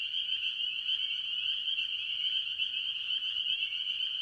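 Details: Mostly spring peepers, among various tree frogs at a farm pond early in the year, give a thick, steady mass of shrill high-pitched peeping, evenly loud throughout, backed by a quieter lower trilling band.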